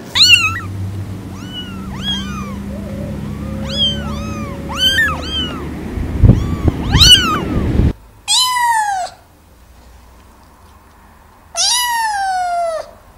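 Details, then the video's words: Several kittens mewing in short, high, arched cries amid low rumbling background noise, followed by two louder, clear descending meows with quiet between them. "Cats Meowing – Kittens Meowing Video – Cute Kitten Meowing Videos – Funny Cat Meows"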